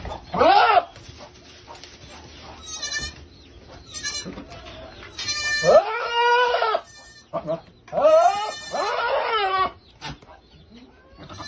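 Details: Male goat chasing a female to mate; several loud, wavering, quavering bleats, short at first then long drawn-out ones around the middle and later, with human voices in the background.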